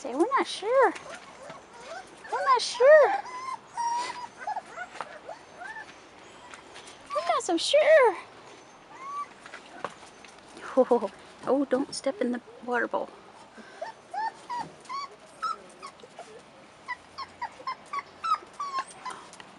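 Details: Bursts of wavering whines from Rottweiler pups aged 4.5 weeks, out of doors for the first time, come in short clusters between long stretches of conversation.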